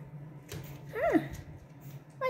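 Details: Boston Terrier puppy from Lily and Lil Red's litter of two, indoors: a single short whimpering yelp that rises then slides down, with a soft voice coaxing nearby and a steady low hum underneath.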